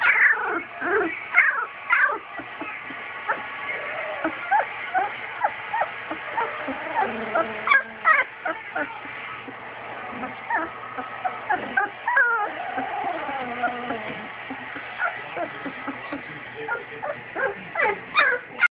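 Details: Newfoundland puppies at two weeks old: many high, thin squeaks, whimpers and short squeals overlapping continuously, some rising and falling, from a litter of young pups.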